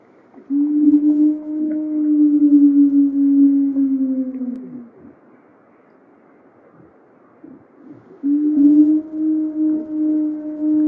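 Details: Wild female gray wolf alone by a recorder in Yellowstone on November 15, 2023, separated from her pack and seemingly trying to find them, howling for thirty minutes: a long, steady, low howl of about four seconds dropping slightly at its end, a pause, then another begins.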